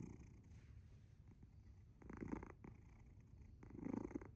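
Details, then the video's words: Asher the cat, fast asleep, gives a soft steady rumble that builds into two louder, snore-like purring swells near the end, low and grainy in a quiet room. "Purring? Or snoring? Very loud ゴロゴロ音？いびき？すやすや寝るアッシャー"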